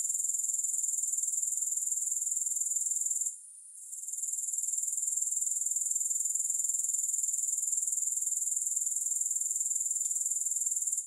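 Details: Grasshoppers in a steady, high-pitched shimmering chorus, pulsing about four times a second, briefly dropping out just after three seconds before resuming at full strength; no music or other sounds.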